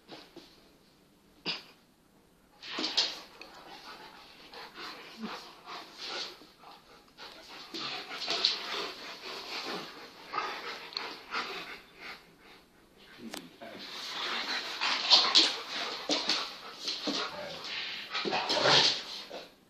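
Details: Two young Kangal dogs playing indoors, an 8-month-old full Kangal puppy and a smaller cross Kangal; scuffling, panting and soft whimpers come in busy bursts, with brief speech.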